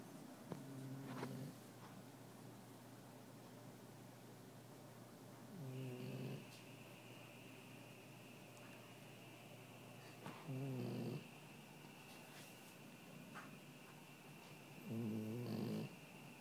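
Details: Dog asleep in a living room, snoring: four low, rasping snores of about a second each, spaced irregularly through the recording, over a quiet room with a steady high electrical whine.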